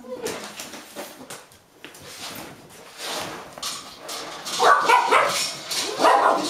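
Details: Golden Retriever puppies aged eight and a half weeks, hopping up and down before feeding in Haute-Savoie, France, January: rough, noisy barks that build and grow louder toward the end, with some voices in the background.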